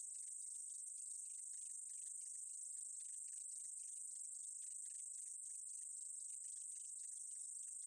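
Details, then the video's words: Meadow katydid from a 2020 National Institute of Biological Resources recording in Korea, giving an unbroken shrill sizzle at a steady loudness, peppered with rapid clicking ticks underneath. "쌕쌔기, 여러번 듣기, 곤충소리"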